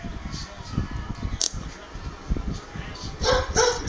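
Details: A Shih Tzu gives sharp, high barks at a parrot that answers with imitation barking, with voices and household noise in the background.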